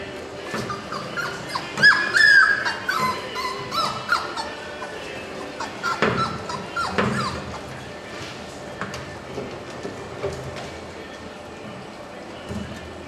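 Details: Puppies at four weeks old, litter of Trey and Roux born March 7, 2010, let out a burst of thin high yelps and whimpers early on, then scattered quieter squeaks over constant low hum.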